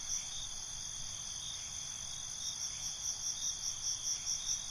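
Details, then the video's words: A nocturnal cricket chorus: unbroken high, tinny trilling with a brisk run of pulsed chirps building toward the end, above a quiet low hiss. "Night ambience, Cricket Conversations"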